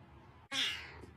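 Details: Cat at a Starbucks lets out a single short meow, sharp onset, rich in overtones and falling in pitch, lasting roughly half a second against quiet low hum.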